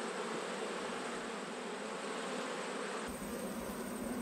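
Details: Honey bees buzzing around a hive during an autumn inspection, where a colony has swarmed. A dense, steady hum with a low droning pitch fills all four seconds, with no other sounds.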